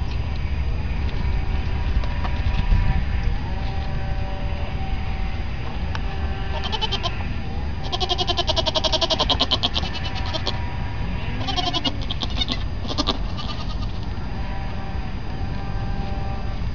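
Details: Newborn baby goats bleat in drawn-out, wavering cries that run through much of the recording, with bursts of scratchy rustling in the middle and a woman talking softly to them.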